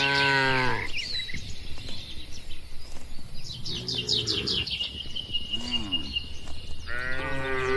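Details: Several short moos and one longer bellow from free-grazing tame cattle in open rural grassland with a herder. Low, wavering and harmonic, they arrive in bursts while birds chirp and a steady high insect-like hum carries on between them.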